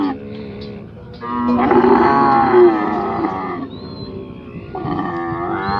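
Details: Camel being held by its owner and given medicine, giving a loud, drawn-out groaning bellow with rich harmonics, rising around two seconds and fading near four seconds, followed by a shorter second groan.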